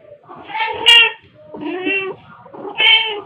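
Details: Black cat Pepper or torby Kofi, a year old and playing with fluffy toys at home, utters three short harmonic meows about a second apart, with some soft human voice under them.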